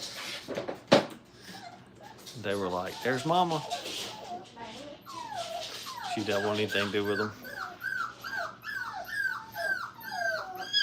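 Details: Brittany puppies, five weeks old and in crate training, whine in a quick run of high, arching yelps and squeaks near the end, after a man's voice talks over them in a small room.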